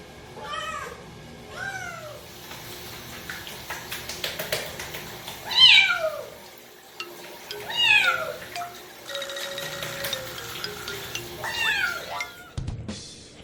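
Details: Indoor housecat from a household of four cats, Byeol, Dal, Bam and Bom, calling during bath day on 2 September 2018; a series of short, bent, nasal meows about every two seconds, some louder and strained, over faint background music.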